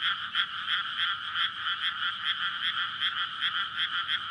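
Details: Frog chorus at night in May in flooded rice paddies just before planting, frogs calling in courtship to breed; dense overlapping croaks pulsing about two to three times a second, recorded on a SONY PCM-D100 near a road in a residential area.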